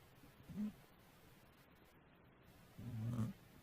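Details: Sleeping cat snoring: two low, buzzy breaths, one short and one longer, with a quiet hiss of background noise between them.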